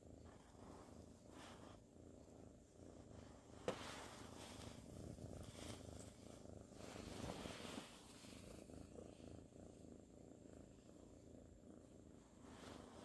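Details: Sleepy ginger tabby kitten named Sir Salmon, cuddling and dozing: a low, continuous rumbling purr carries through the whole stretch, softly pulsing, with faint rustling and one sharp click a little before the four-second mark.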